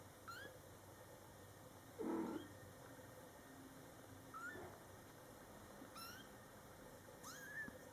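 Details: Scottish Fold kittens in their first month of life, born July 22, 2012, alongside their mother: a lower, brief voiced sound near the start among several short, high mews, the last one rising sharply, amid quiet room noise.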